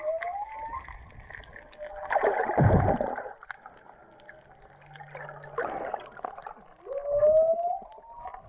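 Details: Whale song heard underwater while snorkeling off Puako on the Kona Coast of Hawaii's Big Island: drawn-out moans and rising whistled sweeps, with bursts of bubbling water noise between them.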